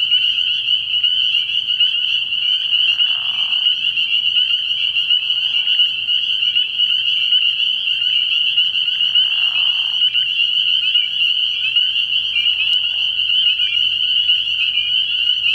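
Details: Many spring peepers call at a frog pond at night early in the year. A continuous high, shrill peeping chorus runs throughout, with a few brief lower, hoarse bursts scattered through the middle.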